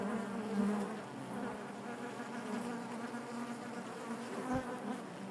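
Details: Inside a honey bee hive, the colony gives off a quieter continuous hum, an even buzzing drone with little rise or fall and one brief low thump near the end.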